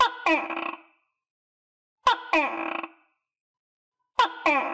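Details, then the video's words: Tokay gecko, a captive animal kept with other tokay geckos after deworming and vitamins, calling: three two-part notes about two seconds apart, each a sharp click followed by a harsh, harmonic, slightly falling croak. "Sound Of Tokay Gecko"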